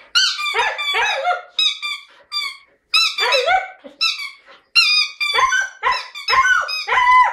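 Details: Jasmine, a Siberian Husky, sings in a lyrical mood with a steady run of short yodelling syllables that bend and warble, rich in overtones, broken only by brief pauses.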